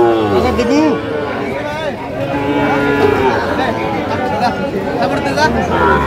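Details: At a Mymensingh cattle market in Bangladesh, 19 April 2025, Sahiwal bull calves give short wavering moos, partly buried under dense crowd chatter and close male voices.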